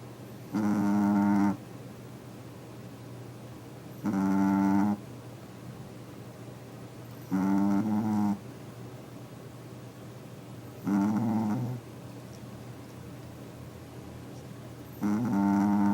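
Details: A sleeping dog, its snoring loud for its small body, gives deep, raspy snores, each lasting nearly a second and recurring about every three and a half seconds, with quiet room hum in the gaps.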